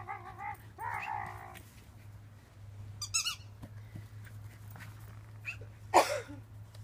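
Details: Shiba inu playing in a yard. Short, high, whiny yips come in quick bursts at the start and again around three seconds, then one sharp, louder yelp near the end, over a low steady hum.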